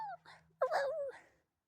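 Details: A distant wild coyote gives a brief, wavering howl that dips and slides across a narrow pitch range, heard outside at night while a friend's dog howls back; confirmed as coyote. Coyote (Canis latrans), howl.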